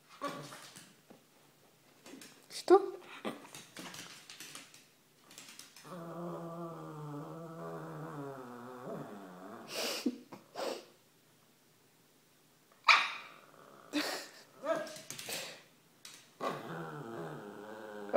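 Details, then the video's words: Female Cavalier King Charles Spaniel Pika, 18 months old, eager to play, gives a drawn-out, wobbling whine-grumble lasting about four seconds amid short Russian phrases, clicks and handling noises indoors. "Cavalier King Charles Spaniel wants to play"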